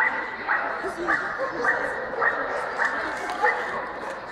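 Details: Barking at the Swedish Vallhund special show, best male ring, Strängnäs, 15 March 2015: a steady run of short, bright barks about every half second, with a murmuring crowd of voices underneath.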